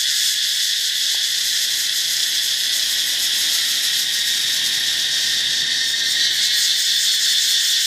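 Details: Katydids, thought by the recordist to be grasshoppers, make a loud, steady, high-pitched shimmering buzz that never pauses, around 9:30 in daylight at a beach resort near Haad Rin on Ko Phangan, Thailand.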